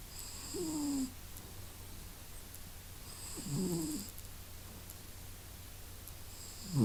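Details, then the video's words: Masya the cat snuffling and snoring: three rasping snores roughly every three seconds, each a low, buzzy breath with a faint airy hiss on top, over a steady low background hum. "Мася сопит и храпит! | Masya snuffle and snores!"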